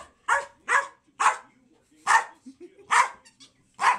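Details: Two American Eskimo dogs battling in play; six loud sharp barks spaced about half a second apart, with softer growly sounds between them.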